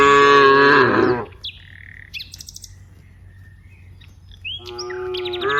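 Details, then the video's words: Herd of cows in a broad rice field; a loud, rich moo opens, then birds chirp and whistle during a quiet stretch, and a second moo starts near the end. "various sounds of Moo cows"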